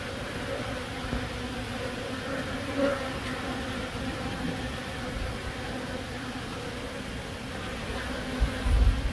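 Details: Honey bee buzzing from Himachal Pradesh, India, a smooth unbroken hum with a clear higher overtone band, a brief brighter buzz near the middle, and a few low knocks at the end.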